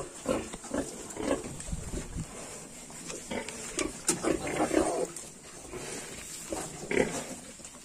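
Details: Yorkshire piglets, 22 days old, giving short repeated grunts and soft squeals in low to middle pitch, scattered irregularly through the recording, with a steady high hiss behind them.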